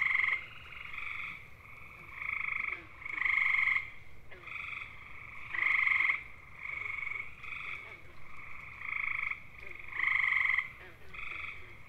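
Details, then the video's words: Male gray tree frogs (Hyla versicolor) give loud, musical, bird-like mating trills, each about a second long and repeated in quick succession. "Grey Tree Frogs: How To Identify Their Mating Calls & Sounds!"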